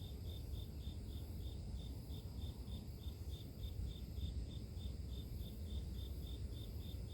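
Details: Steady insect chirping from the grass: high, clipped pulses repeating regularly about three times per second, with a heavy low-pitched rumble underneath throughout.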